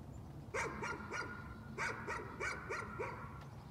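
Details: Dog's nuisance barking: two quick runs of sharp, ringing barks, three then five, each bark short and harmonic-rich, against a low steady background hum.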